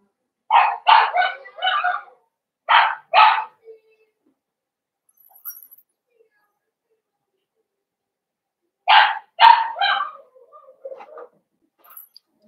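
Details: Blenheim Cavalier King Charles Spaniel puppies from a New Year's litter of five in a home puppy pen: three short bursts of yappy barks, a quiet pause, then another quick cluster of high barks near the end.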